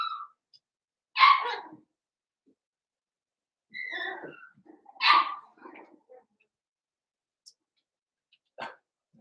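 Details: Cavalier King Charles Spaniel puppies, Daisy's litter of six merged with Robin's two remaining pups, at play: a few short yappy barks and whines in scattered bursts, with quiet gaps between.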